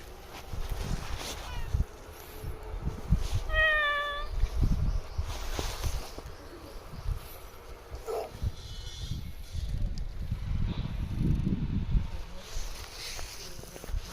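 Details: Stray cat living at a Shinto shrine, spoken to by a visitor, answers with one clear, tonal meow lasting about half a second, surrounded by low rumbling handling and outdoor noise.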